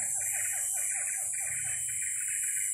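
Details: A siamang, heard from somewhere in the forest at an unknown distance without being seen, gives a rapid string of wavering, siren-like hoots that end in a drawn-out higher note.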